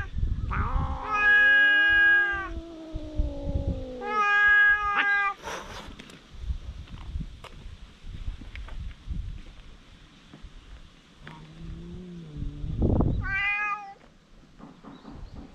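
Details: Fierce vocal fight between stray cats on a cat island, filmed on a GoPro HERO8: a few drawn-out, sliding yowls near the start, then a long quiet stretch of scuffing, and a rising wail near the end.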